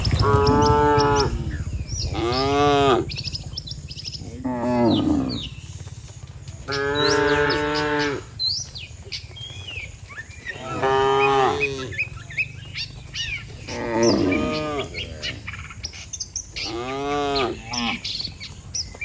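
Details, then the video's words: Dozens of cattle lined up on a road, mooing as if calling the herd home to the barn: long, deep, harmonic moos about one second each, repeated every two to three seconds, with faint bird chirps in the background. "Suara Sapi Moo, Puluhan sapi Lembu Memanggil kawanan untuk pulang"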